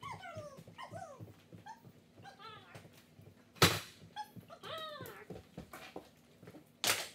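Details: One-year-old poodle mix dog in training, giving high whining whimpers that slide downward in short bursts, three main clusters, with sharp clattering knocks and room noise between.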